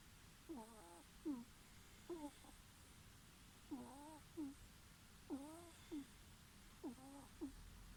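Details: A ferret snores in soft, high nasal squeaks, each drawn-out wheeze answered by a short clipped one, the pairs recurring about every one and a half seconds amid faint hiss.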